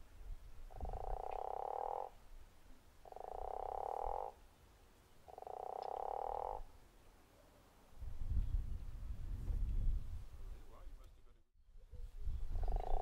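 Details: Guttural toad at Zeekoevlei uttering three long pulsed snoring croaks, then a pause filled by low rumbling noise before another croak begins at the end.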